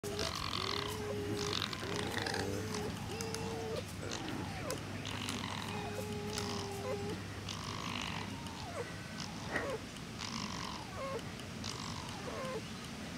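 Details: Two foxes, a mother and her daughter, exchanging calls: thin, steady mid-pitched whines drawn out for about a second each, alternating with short breathy, harsh chattering bursts roughly once a second, over a constant low hum.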